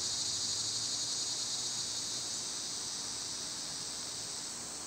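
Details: Summer cicadas: a loud, steady high buzzing drone that slowly softens toward the end, with a faint low hum beneath.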